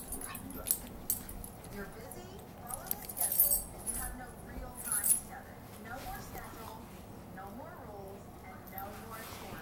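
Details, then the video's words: A female Siberian Husky "talks" in wavering, yodel-like moans and whines that bend up and down in pitch. "Bailey making husky noises"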